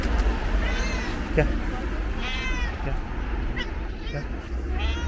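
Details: Stray cat, orange and white, calls at a bus station: three clear, arching meows spaced a second or more apart, plus short clicks, against low vehicle rumble and people speaking.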